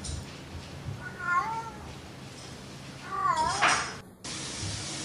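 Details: Playful domestic cat meowing twice, each call a wavering, slightly falling meow with rich harmonics, the second louder and longer, over a low background hum.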